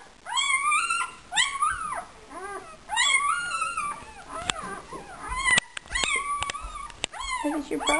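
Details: Puppy in a whelping box, described as talkative and a complainer, giving loud rising-and-falling whiny whimpers and yelps in repeated bursts, each about a second long, with a woman's voice talking to it indoors.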